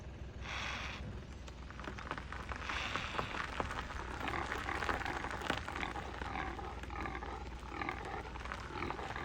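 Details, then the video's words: Impala at Gaborone Game Reserve, Botswana, in 2024, leaping. Its alarm bark makes the herd flee. Breathy, rough snorting bursts come at about half a second and near three seconds, then weaker ragged puffs, over faint outdoor hiss. "Impala while leaping and making sounds"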